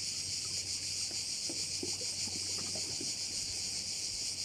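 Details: Crickets at a bay in Korčula: a dense, continuous high-pitched shrill with fast pulsing, steady throughout, over a faint low hum and scattered soft ticks.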